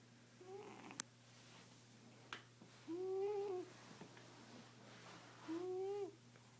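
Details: A female pet cat snoring indoors: tonal, slightly arched whining breaths roughly every two and a half seconds, with two clicks early on and a steady low electrical hum underneath.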